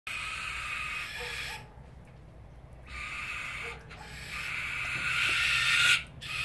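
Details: Two young common brushtail possum joeys screaming at each other: long, harsh, hissing screeches in sustained bursts, broken by short pauses, with the noisiest outburst near the end.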